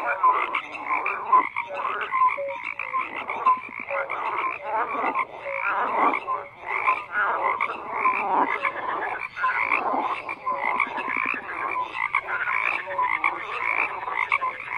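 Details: Frogs croaking en masse: a continuous wall of grating, pulsed croaks from many animals, with scattered short tonal notes and uneven surges of loudness.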